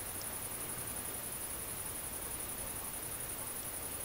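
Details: At night on 22 August 2016 in rural central France, a mating great green bush-cricket (Tettigonia viridissima) produces an unbroken, very high, rapidly pulsed buzzing stridulation that sits above a steady broadband hiss.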